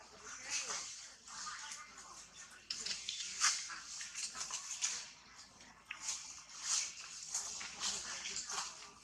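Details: Young monkey Tobais screaming in a tantrum under rough treatment from its mother Toma, a long run of raspy, very high squeals pulsing roughly every half second to second, barely pausing.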